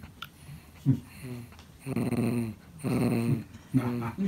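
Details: Pon, a 13-year-old cream male Pomeranian, growls quietly indoors while trying to get a toy by himself instead of letting his owner fetch it. Low, rumbling harmonic pulses of about a second each, with soft thumps in a small room.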